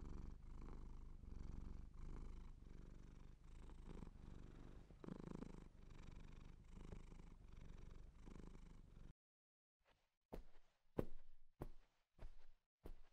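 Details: Siamese cat purring for about nine seconds in rhythmic low rumbles, then near silence broken by several sharp clicks or taps.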